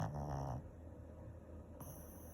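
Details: A Shih Tzu snoring in its sleep gives one low, rasping snore, then breathes quietly.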